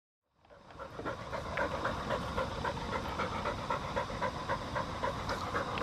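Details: Field-type Labrador Retriever, a four-year-old female, walking ahead on a flexi lead: steady rhythmic panting, about four quick breaths per second, with soft outdoor background noise.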